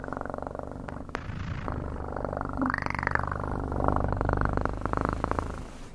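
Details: Continuous cat purr, a throaty pulsing drone with gentle breath-paced swells, brightest near the three- and four-second marks, with a faint rustle early on.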